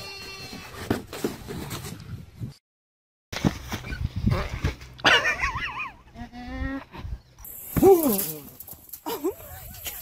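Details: Fainting goats bleat in wavering, quavering calls between bursts of human speech and handling noise, with a higher tremulous cry near the end.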